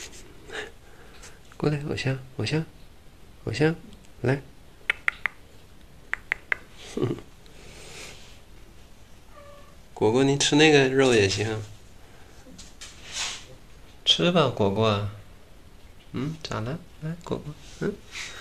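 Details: Pet cat lying down while eating meat indoors as another cat looks for a chance to pounce; a drawn-out wavering meow and a second shorter meow rise between stretches of a woman talking in Chinese.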